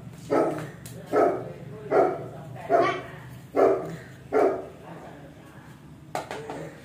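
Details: Siberian Husky giving short, noisy bark-like calls, six in a row about every 0.8 seconds, then fading into quieter sounds with a steady low hum underneath.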